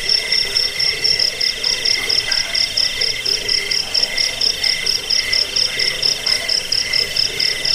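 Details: Chirping cricket in a recording meant to chase off rats, aid sleep and tutor birds; high rapid pulses form a continuous, slightly uneven trill over a quiet background.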